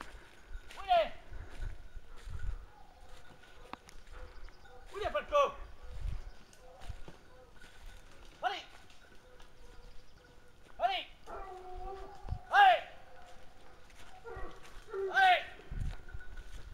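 Hounds bay in loud, ringing bursts every few seconds while holding a wild boar at bay.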